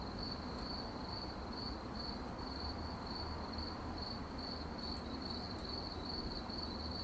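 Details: At night, crickets keep up a high, clipped chirp repeating about every third of a second, steady throughout, with low-pitched noise filling the background.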